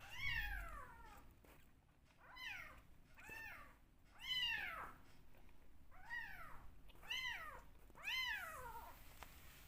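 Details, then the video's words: Rescue kittens, two left, noisy at milk time while bottle-fed and craving attention: a run of about eight loud, bright meows, each arching up then falling, repeated every second or so indoors. "Only 2 Rescue Kittens Left but Still Making Noise During Bottle Feeding!"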